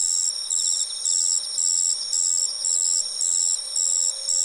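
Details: Autumn song of a Madara-suzu ground cricket: short, shrill, high-pitched buzzes repeated at an even pace of roughly two per second, with a fainter lower trill from another insect early on.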